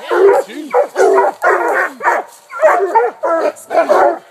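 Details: Coonhounds, including an 18-month-old blue tick, an 8-month-old walker pup, a 5-year-old walker and a 6-year-old black and tan, tree a raccoon; rough, rapid barks repeat in quick overlapping bursts.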